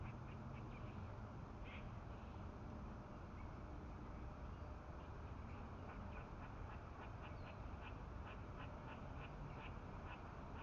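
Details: Squirrel alarm sounds aimed at two nearby cats come as quick repeated clicking chucks that speed up toward the end, set against loud steady low-pitched rumble.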